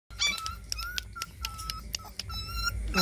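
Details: A puppy bitten by a big dog while eating gives a rapid string of thin, high yelps and whimpers, some drawn out, over rumbling background noise.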